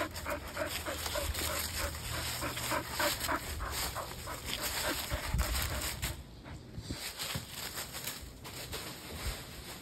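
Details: A Standard Poodle pants in quick, rhythmic breaths, with a few soft whimpers, while playing ball with its owner in a backyard.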